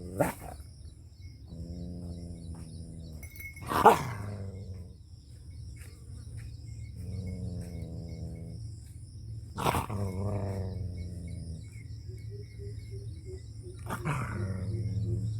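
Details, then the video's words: Angry dog in a Punjab village, Pakistan, producing repeated wavering, tonal howls roughly every three to four seconds, broken by sharp loud cracks or thumps, over a steady low rumbling background. "FUNNY DOG BARKING & HOWLING"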